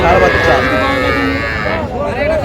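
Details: Young Sahiwal bull and heifer calves at a cattle market in Jamalpur, Bangladesh, 14 June 2025: a short tonal moo opens, then traders' voices talk over the crowded market din.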